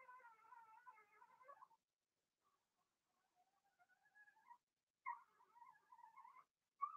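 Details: Blenheim Cavalier King Charles Spaniel puppies from a litter of six in an indoor puppy pen give soft, wavering whines in three drawn-out bursts separated by short quiet gaps.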